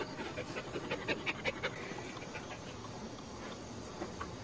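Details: Pregnant Cairn Terrier in labor during whelping, expecting five puppies: soft, fast, steady panting, roughly three breaths per second, fading toward the end.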